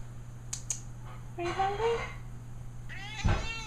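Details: A 14-year-old female domestic cat begs for food or attention, giving a drawn-out rising meow followed about a second later by a shorter second meow, with a steady low hum throughout.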